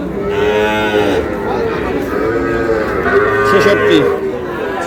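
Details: Lowing from Sahiwal breed cattle, a bull calf purchased by a Brahmanbaria farmer on 20 May: a sustained harmonic moo opens, followed by overlapping bellows and faint voices throughout.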